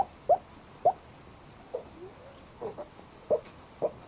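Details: Black pug sleeping and hiccuping: short, sharp squeaky sounds come about every half second, with quieter breathy sounds between them.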